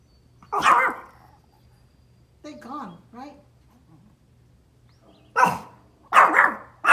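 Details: Pomeranian dog outdoors barking at deer: three sharp, loud yaps, one early and two close together near the end, separated by a quiet stretch where a person speaks softly.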